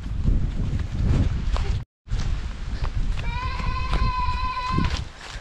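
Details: One drawn-out, even goat bleat in a rural Philippine farmyard, heard after a stretch of talking and rustling noise with a brief dropout.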